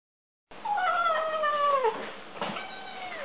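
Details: Kittens making noises while eating: a drawn-out, wavering, harmonic meow that slides downward over about a second and a half, then a shorter cry, over soft background noise.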